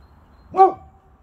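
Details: Single loud bark from one of two Boxer dogs, Rex and Sammie, barking at nothing; a short rising-then-falling burst with brief low background hum.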